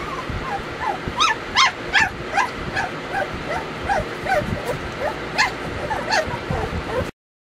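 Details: Weimaraner puppies Bailey, Hailey and Jenny whining and yipping almost continuously, high rising squeals repeated more than twice a second, some sharper and louder, over a low background rumble.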